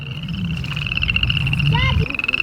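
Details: Toads by a pond on sloping homestead land give a steady, high, rapidly pulsed trill that runs unbroken over a low rumble. They fall silent when approached.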